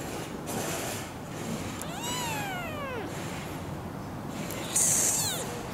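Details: A tiny, roughly three-week-old kitten, possibly the smallest of a semi-feral mother's litter of four, is held in the hand and gives thin, high meows that slide downward over steady background hiss.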